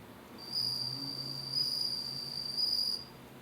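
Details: Captive bell cricket raised at home, singing a clear, high, pure ringing tone held steadily for about two and a half seconds with faint overtones above it, over a soft low background hum.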